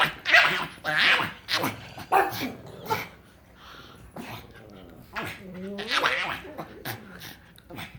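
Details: Pug named Frank vocalizing when happy: harsh snorts and grunts at irregular intervals, then a rising nasal whine near the end, with a human voice faintly mixed in.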